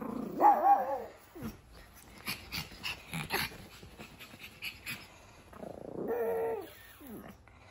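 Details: A female pug puppy, four months old, indoors gives a short tonal bark at the start, then a longer rough growling vocalization later, with clicking and rustling between and a woman's voice nearby.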